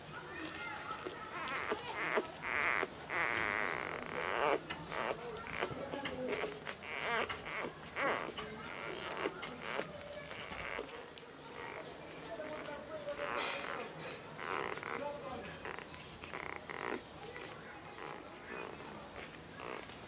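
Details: Labrador Retriever puppies competing for milk at nursing: high quavering whines cluster in the first few seconds, then scattered squeaks and shorter whimpers follow, with rustling and faint background noise throughout.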